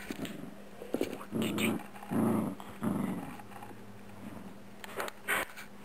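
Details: Four-year-old female Yorkshire Terrier and Mini Poodle cross (Yorkipoo), 7 lb, playing indoors with a new rubber chicken toy; three low rumbling growl bursts in close succession, followed by scattered short sharp noises in a quiet room.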